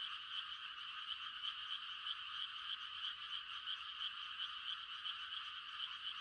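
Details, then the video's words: Mating chorus of frogs on a quiet rural night at rice-planting time. Many high, buzzy trills overlap, with a bright chirp repeating roughly every third of a second above the continuous din. "The sound of frogs on a quiet country night"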